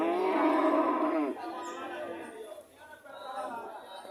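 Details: Cow moo lasting just over a second at the start, loud and rich, followed by quieter overlapping voices that sound like chatter or other animals murmuring in the background.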